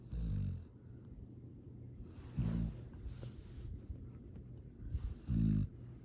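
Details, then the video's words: Sleeping dog, a rescue being fostered in Boerne, Texas, recorded December 13, 2022, snoring deeply: low rumbling snores about every two and a half seconds, with soft breathy exhales between them. "Sweet snoring Happy sounds"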